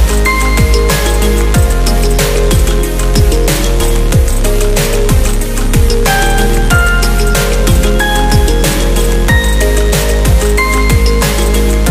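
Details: Loud electronic drum and bass music with a heavy bass line and steady beat throughout, with no animal sounds.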